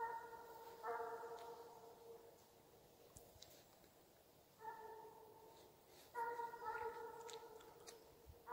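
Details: A Russian hound in Ivanovo Oblast, Russia bays in long, drawn-out, harmonic-rich howls while on the chase.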